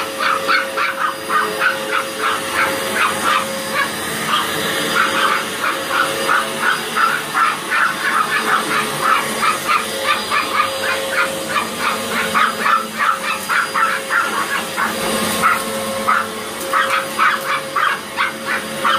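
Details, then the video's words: Pair of Chihuahuas barking at a running Hoover: a long, nearly continuous volley of sharp, shrill yaps with brief pauses, set against the constant whine and hum of the vacuum cleaner. "Chihuahuas Vs Hoover"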